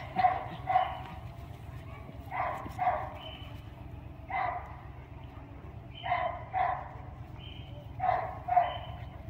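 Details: Doberman Mrvica playing with Kerry Blue Terrier puppies: short yipping barks in quick pairs, each pair returning roughly every two seconds, mid-pitched, over a constant low background hum.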